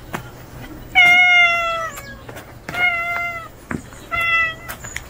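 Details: Strange male street cat, newly showing up, calls three times: long, clear meows, each about a second, gently falling in pitch. They come roughly every one and a half seconds with quiet pauses between.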